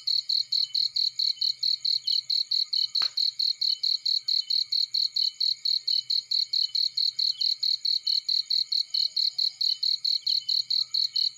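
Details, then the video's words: Field cricket sound: a bright, shrill chirp pulsed steadily about twice a second, very regular throughout, over a layered high insect hum, with one sharp click and faint low crackling beneath. "Burning with Cricket Sounds"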